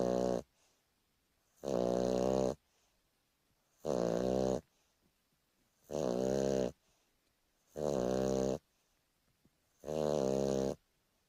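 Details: Turbo, a Boston Terrier taking a lazy afternoon nap, snores in steady bursts roughly every two seconds, each a rough, harmonic-rich rasp lasting under a second, separated by near-silent pauses indoors.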